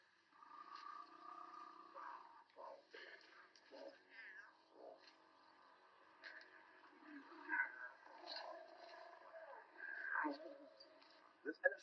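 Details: Lion cubs hidden in bushes by a lone lioness on safari give a run of high, mewing calls, some wavering, others short and clipped.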